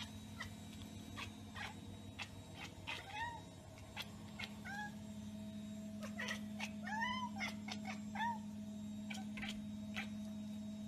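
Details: Cat chattering at a bird or insect it has spotted but cannot reach: rapid, irregular bursts of clicks mixed with short, bright, arching chirps, repeated throughout over a steady low hum.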